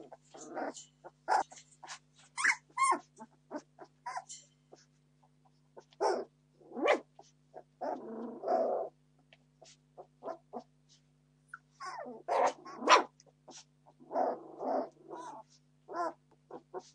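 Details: Litter of Entlebucher Mountain Dog puppies, 17 days old, born 26 September 2015, demanding food: bursts of overlapping squealing whines and short yelps, some rising and harmonic, in clusters with brief pauses, over a faint steady low hum.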